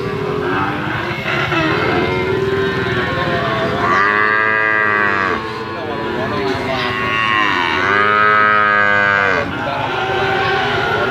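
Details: Medium-sized Bali cattle ready for slaughter at a livestock market in Indonesia. Two long, drawn-out moos with rich harmonics, each lasting over a second. Further lowing overlaps them, with a steady crowd and market hum underneath.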